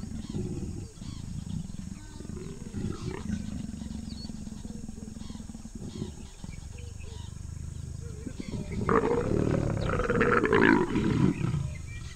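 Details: Leopard pair in Moremi Game Reserve, Botswana, during an aggressive, female-driven mating beside the sedge grass; a low sustained rumbling growl builds into a louder, harsher snarling outburst near the end.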